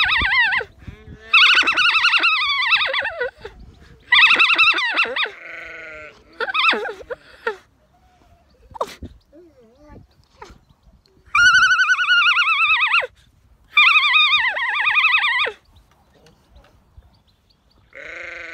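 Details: Female alpaca on an Irish farm in County Kilkenny singing her opera song in bursts: several short shrill wavering calls separated by quiet gaps, with faint rustling and clicks between them.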